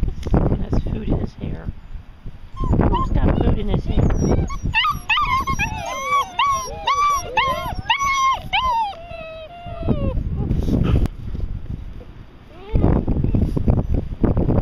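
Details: Six-week-old puppies give a burst of layered, wavering whines and whimpers in the middle, framed by loud human speech and handling noise before and after.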